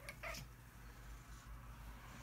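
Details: Rufus, a big, stubborn orange tabby cat, protests from his favourite spot on the bed while being urged to get up; a brief, high, thin meow with bright overtones, followed by quiet indoor room hum.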